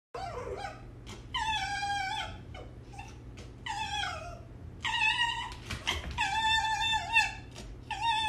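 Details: Pet red fox indoors giving high, whining calls with strong overtones. Drawn-out cries come in bursts of about a second with short gaps, some wavering or dropping in pitch at the end. A steady low hum sits underneath.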